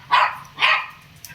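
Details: Two quick high barks from Laddu, a small pet Shih Tzu kept in an Indian home, with a faint low hum beneath.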